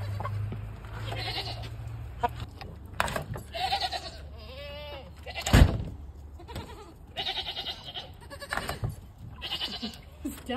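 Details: Homestead goats, including a mother LaMancha, waiting at a garage door where feed is kept; several short, quavering bleats scattered through, a sharp knock midway, with clucking chickens and low background hum.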